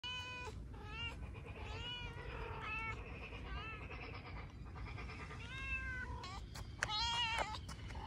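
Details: Kitten meowing after spotting a large plate of chicken and fish; repeated high, bent meows in quick succession, several overlapping, over a steady low background rumble.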